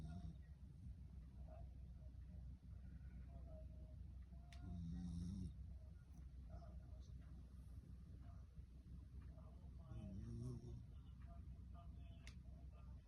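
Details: Corgi named Magi, a rescue dog, sleeping soundly and snoring contentedly; two low, buzzy, rumbling snores about five seconds apart over a quiet room hum.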